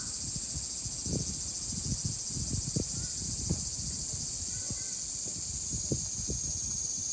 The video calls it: セミの鳴き声